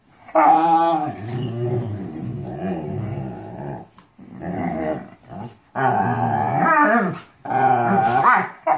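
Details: Mastiffs talking: rough, growly moaning with wavering, harmonic-rich pitch, delivered in sustained bouts with short breaks and occasional rising whine-like inflections.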